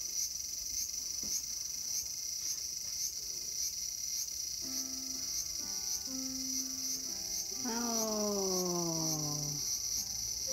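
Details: Cicada in a small garden on August 5, 2020, giving a continuous high shrill buzz with faint regular pulses, while background music with held tones and a gliding voice-like sweep rises in the second half.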